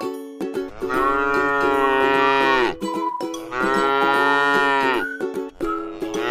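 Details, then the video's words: Cute, tame cow resting in a rice field moos twice in long, sonorous calls with a slight upward swell, separated by a brief pause, while soft plucked-string music and faint knocking continue. "suara sapi lucu jinak yang sedang istirahat di sebuah ladang sawah yang indah"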